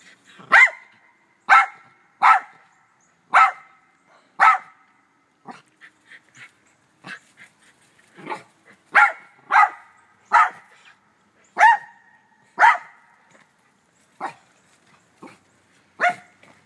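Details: Black terrier named Doe barking in a back yard alongside two white Rat Terriers, Moe and Sassy; sharp, bright barks repeated roughly every second, about fourteen in a row with short pauses, little else around.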